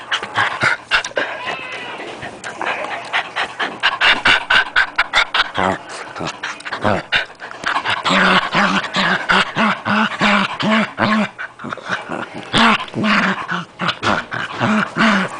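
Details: Pet puppy during play: rough panting and scuffling noises at first, then a series of short, moaning whine-growls repeated rapidly, roughly two per second, with some human voice in the background.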